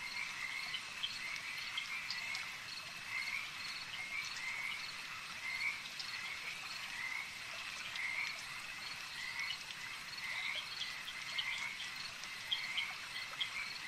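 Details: Chorus of many frogs at a lake, a continuous high trilling wash with clusters of brief chirps rising and fading throughout, and no other clear sounds.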